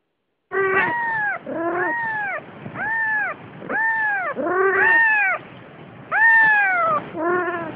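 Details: A Siamese cat, filmed carrying a kitten, calls repeatedly with loud, harmonic-rich meows, each rising and then sliding down, roughly once a second, some longer and more wailing than others.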